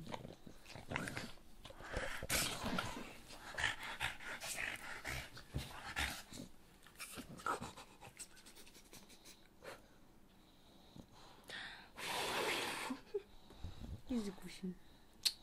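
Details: English Bulldog named Elvis panting: rapid, noisy, broadband breaths in irregular bursts, with a loud rushing breath near the end and a person speaking Russian at times.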